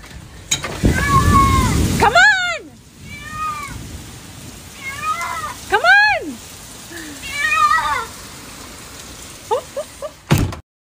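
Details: Siamese cat giving loud, bent meows that rise and fall, about five spaced calls with a cluster of quick mews near the end, over a hiss like rain and some background talk.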